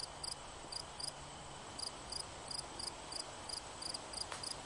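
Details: Short, high, ringing chirps from a cricket, often in close pairs, repeated roughly twice a second against a low, constant rushing background.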